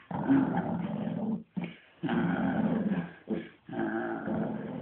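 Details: A Shih Tzu at playtime indoors growls in long rough, rumbling bursts of one to one and a half seconds, separated by brief pauses, a throaty sustained play growl.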